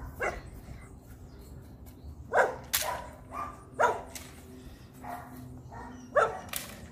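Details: Rottweiler puppies in a high-performance guard-work training routine, giving a few separate loud barks spread across seven seconds against a quiet low background hum.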